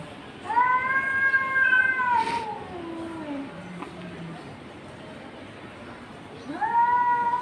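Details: Cats in a confrontation give a sustained, tense yowl that slides downward into a low growling moan, then a fresh wail starts after a pause.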